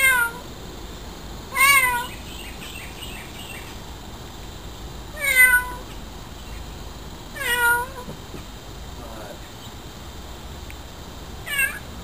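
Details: Very vocal cat watching a hummingbird drinking nectar at a feeder, meowing repeatedly, four or five wavering, slightly falling meows spread over twelve seconds with quiet gaps between, over a constant hiss.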